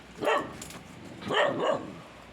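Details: Kangal puppy beside a tandır oven, barking at its own reflection in a mirror: two short, high yappy barks about a second apart, the second a doubled yip, with faint room noise between.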